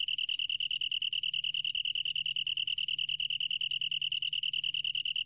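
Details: Long-tailed tree cricket singing: a steady, high, ringing trill held on one pitch, made of rapid even pulses with bright overtones above, continuing without a break; faint low hum underneath.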